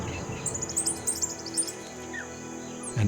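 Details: A dwarf mongoose sentinel gives an alarm call signalling danger from above after spotting a pair of young tawny eagles: rapid, shrill, high chirps in quick bursts over soft music.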